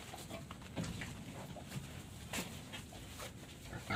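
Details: Madonna, a native pig sow, in labour while delivering her litter, with five piglets already born. Soft, low grunts recur irregularly over a steady background hiss, with faint rustling.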